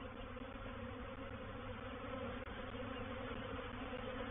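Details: Reproductive swarm of honey bees moving into a bait hive at Painted Peacock Manor on 04/07/21; dense, steady droning hum with broad low and mid bands, continuous throughout with no break.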